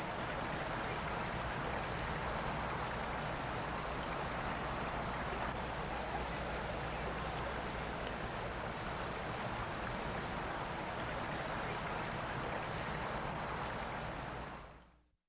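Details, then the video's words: Crickets keep up a long, even performance by a flowing stream: one shrill continuous trill and a second rhythmic pulsing chirp about three per second, water babbling throughout, everything fading out at the end. "CRICKETS AND WATER STREAM SOUND EFFECT"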